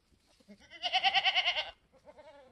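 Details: Newborn F4 Mini Alpine goat buckling, black with white frosted ears and nose, born on a homestead on March 13, 2021: one loud, wavering bleat with a rapid pulsing tremolo lasting about a second, then quiet background.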